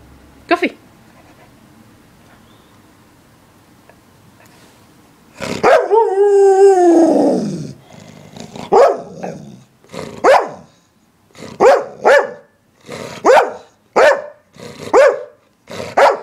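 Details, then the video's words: English Springer Spaniel barking: after a long drawn-out whine-like howl, a series of sharp, harmonic barks repeats about once a second, with short pauses between them. "Barking Springer"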